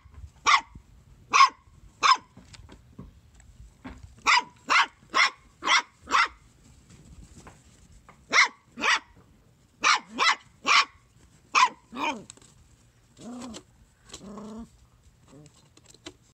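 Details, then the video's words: A bouncing Corgi puppy gives a string of short, sharp, high barks, often in quick pairs. "Bouncing and barking Corgi Puppy"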